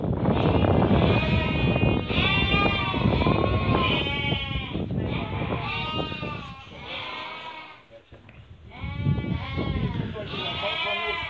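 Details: Merino sheep offered for export from Hungary, with a buyer from Turkey choosing among them: a crowded flock bleating almost continuously, many wavering, quavering bleats overlapping, with a brief lull near the end and some human voices underneath.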